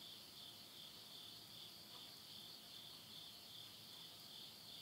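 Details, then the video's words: Midnight insect chorus at summer's end in the countryside of Yurihama, Tottori, Japan, September 2020. A smooth, even, high trill sustains without pause, nearly alone, with only a soft background hiss. "the voice of insects"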